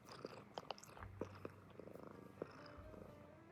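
An American Shorthair cat purrs softly, a low rumble broken by small clicks and taps.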